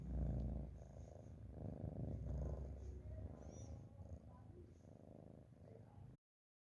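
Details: Domestic cat snoring while asleep: soft, low, rhythmic rumbling breaths repeating steadily for about six seconds, quiet overall, with faint room noise, then silence.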